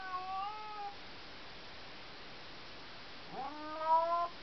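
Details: Domestic cat calling its owner from the other side of a closed bedroom door in the middle of the night: two drawn-out, harmonic meows, the first level then falling, the second rising sharply before levelling off, with a quiet pause between.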